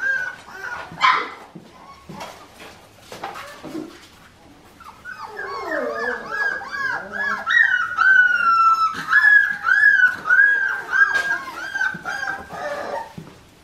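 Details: Four-week-old Australian Shepherd puppies in a litter with their mother Clementine, on a farm in Oklahoma. A woman talks at first, then a chorus of high, wavering whines and squeals overlaps continuously, rising and falling in pitch.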